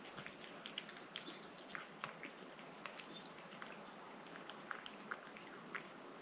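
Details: Domestic cat eating a moist treat indoors, a quick run of soft, crisp chewing and biting clicks, scattered irregularly through the clip over a low room hiss.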